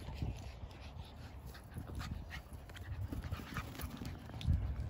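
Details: Brussels Griffon puppy playing at Epperson Dog Park, breathing in quick, soft, breathy low puffs that repeat steadily through the clip, with faint rustling and outdoor background noise.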